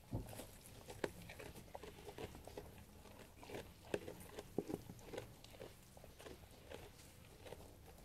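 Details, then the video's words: Sheep eating food: crisp crunching bites and steady chewing, with irregular sharp snaps scattered through a quiet, close-sounding space. "Sheep Eating Food"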